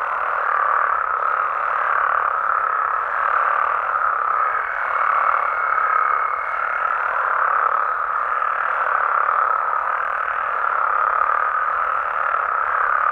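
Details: Frogs and toads of Mexico heard after dark in the wild: a thick, constant chorus of massed croaking trills with gentle rises and falls in loudness, and a brief thin high whistle-like tone in the middle.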